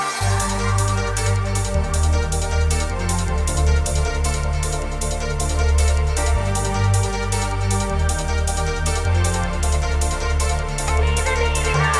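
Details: Loud electronic dance music with a heavy bass beat fills the recording, and no animal sounds are present.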